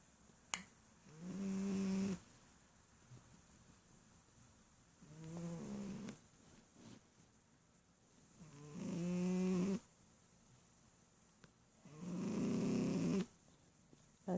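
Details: Mother Shih Tzu, an adult female, asleep and snoring hard; four gravelly snores come at uneven intervals, the last one loudest and longest, with faint clicks at the start and end.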